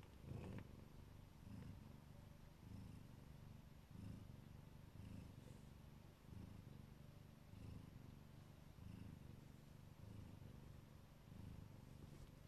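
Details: A Siberian or Neva Masquerade mother cat watching over her kittens gives a continuous deep purr, its low rumble rising and falling in rhythmic breath cycles roughly every second and a quarter.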